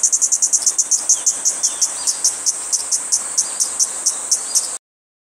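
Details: Kaempfer cicada singing on a cherry tree, a high buzz broken into rapid regular pulses, about four per second, that stops abruptly before the end, leaving silence.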